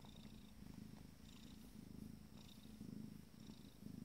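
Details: Abyssinian kittens, 14 days old, from a first litter, purring contentedly during a moment of pleasure; steady low rumbling purr with rhythmic breath cycles roughly once a second, faint higher hiss-like bursts.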